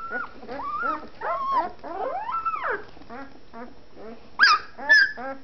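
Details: One-week-old fawn Anatolian Shepherd Dog puppies with eyes still closed start to vocalise: wavering, arching squeals and whines, some sliding upward, then sharp high yelps near the end.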